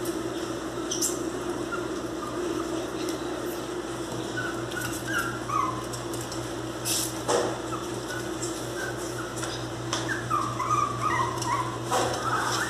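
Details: Angry miniature pinscher puppies indoors give thin, high whimpers and short yelping whines, rising and falling in scattered bursts with brief pauses, over a steady low hum and occasional clatter.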